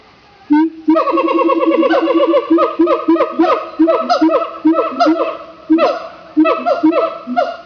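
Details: Siamangs (Symphalangus syndactylus) at Opole Zoo, Poland, give a loud run of rapid, barking hoots that rise and fall in quick bursts; a guard said there was no reason beyond a need to "converse".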